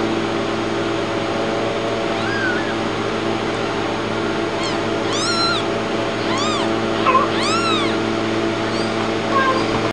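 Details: Newborn kitten mewing: thin, arched, rising-then-falling cries, several in quick succession during the second half, some short and clipped, over a steady loud mechanical hum throughout.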